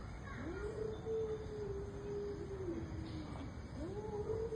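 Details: Cats locked in an intense fight, one holding a sustained, slightly wavering wail for about two seconds before a second rising yowl begins, against low background noise.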